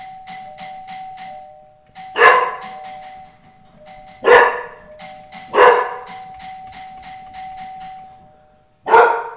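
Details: A doorbell's repeated ding-dong chime sets off the big pet dog Tukoma, guarding his home: four loud, gruff barks at uneven gaps of one to two seconds, chime tones ringing on underneath throughout.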